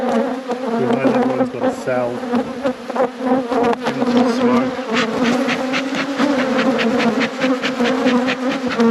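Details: Apiary honey bees in full flight around an opened hive: a loud, constant, buzzy drone holding a steady pitch, with crackling wing noise and a few soft low sounds early on.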